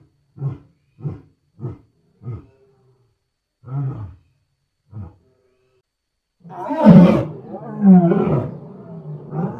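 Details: A wild lion gives a series of deep, short grunting roars, then bursts into louder, rougher roaring.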